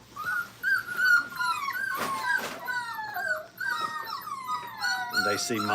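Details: Five-week-old Brittany puppies in a kennel, learning crate training, whine steadily: thin, high whimpers that slide and fall, several voices overlapping in near-continuous chains, with a couple of brief soft knocks and a faint human voice at the end.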